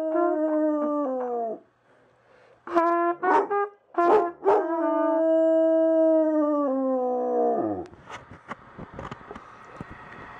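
A Weimaraner howls in long, tuneful notes that sag downward at the end, joining in with a cornet.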